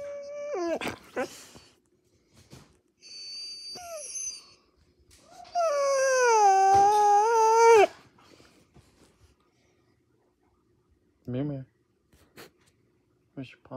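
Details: Mira, a female Siberian Husky puppy indoors at night, protests after a bath: a sharp falling yelp, a short high whine, then a long wavering grumbling howl, followed by quieter grunts and snorts in a small room.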